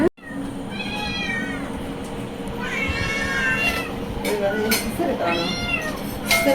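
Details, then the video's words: Hungry pet cat screaming for food: three loud, drawn-out meows with arching pitch, each about a second long, while a person talks and coaxes in Tamil, with faint background music and a few knocks. "Cat Screams for Food"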